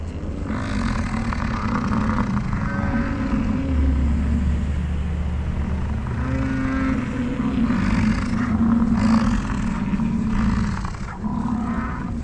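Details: American bison during the rut on a morning in the Grand Teton/Jackson Hole/Yellowstone area, 2022, amid chasing, fighting and mating, give deep, rumbling, drawn-out bellows over a steady background roar.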